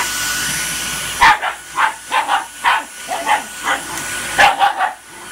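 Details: A Shiba Inu reacts to a vacuum cleaner with bursts of short, yelping whines in quick clusters, some doubled, while the vacuum's constant hissing drone fills the background.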